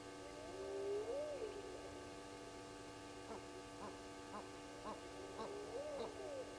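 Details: Around 02:35 at night on 29 May 2020, at Gowrie dam waterhole on Djuma Game Reserve, Sabi Sand, South Africa, after a lone hyena passes, distant spotted hyenas give long rising whoops and shorter clipped notes over a steady electrical hum.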